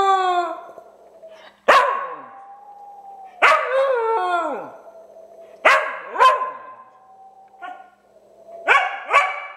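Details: Pet dog Cooper reacting with confusion to an owner's odd whistling: a steady thin whistle tone is answered by descending howls and short barking yips, about four bursts in under ten seconds.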